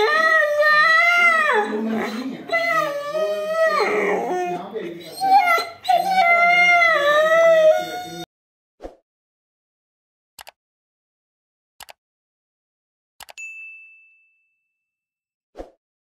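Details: Siberian Husky giving a long wavering, whining howl-like vocalisation for about eight seconds, with pitch sliding up and down in a drawn-out talking manner, then sudden near-silence broken by sharp isolated clicks and one brief tone.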